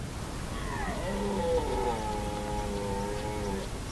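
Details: Red deer at Hoge Veluwe in the Netherlands, 2017, roaring: one long, low, drawn-out bellow of about three seconds with layered harmonics, steady after a brief rise, over a constant low rumble of background noise.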